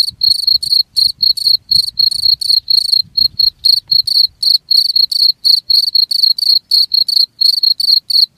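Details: Cricket chirping steadily, high shrill pulsed chirps repeated about four times per second, with faint low rumbling noise underneath in the first half.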